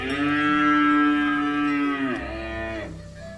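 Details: Herded village cow walking in mud and calling its companions to return to the barn: one long, steady, deep moo that bends downward near the end and fades away.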